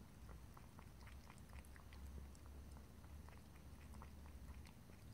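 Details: Cat drinking indoors, dense soft lapping and licking ticks repeating rapidly throughout, quiet and close-up, with a low steady hum underneath and no voices.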